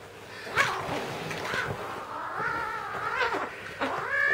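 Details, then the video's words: Red point Siamese kitten named Teddy growling after being tricked out of his toy; drawn-out wavering harmonic growls rise and fall, with a sharp handling noise near the start. "Red point Siamese Kitten, furroscious !"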